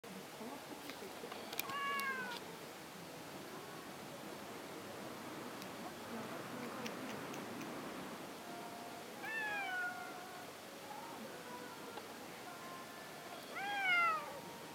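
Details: A stray cat stuck in a hollow at a shrine, with many cats gathered around: several drawn-out, wavering meows, rising then falling, spaced over the clip, the last one loudest, over a soft rustling background.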